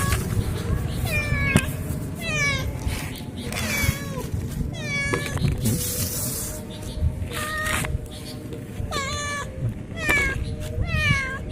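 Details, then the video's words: Indonesian village cat, a free-roaming pet being fed shop food it is not used to; repeated short harmonic meows roughly every one to two seconds, bending up then down, with low background noise and some speech. "KUCING KAMPUNG"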